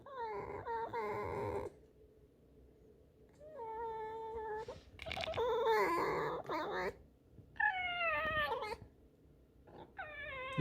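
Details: Indoor female pet fox, refusing to leave her corner after chewing a rag, repeats grumbling, creaky whines and squeals, some rising and falling, several broken bursts with rustling between calls, in a small room.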